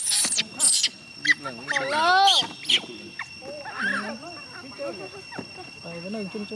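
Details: Gina, a young chimpanzee, crying and pleading for her carer to stay: sharp high screeches open, then wavering harmonic whines and sobbing moans, with a person's voice speaking in between.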